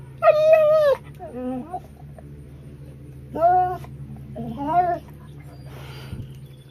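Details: Pet dog vocalizing in annoyance at its owner, as if yelling; four separate whiny, talking-like yowls, the first and third longest and loudest, each bending up then down, with quiet indoor hum between.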